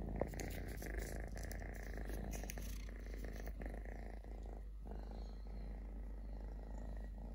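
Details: Stray kitten Totoshka, a male who lost a leg when his mother bit it at birth, keeps up a steady throaty purr; a sharp tap opens the stretch and brief rustling interrupts it midway.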